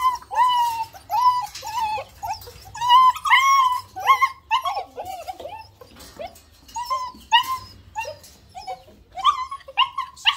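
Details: Several German Shepherd puppies whimpering and yelping, bright arched cries of shifting pitch in clusters, broken by a brief quieter stretch midway.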